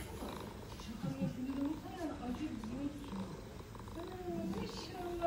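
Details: Mother cat, a stray in Istanbul, with her kittens while they nurse; low steady purring runs under a woman speaking Turkish throughout, with a few higher kitten-like squeaks.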